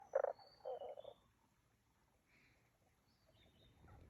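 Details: Frogs calling at Aoba no Mori green area on 5 April 2024: two short, rough, pulsed croak bursts in the first second, then quiet, with thin high bird whistles scattered above.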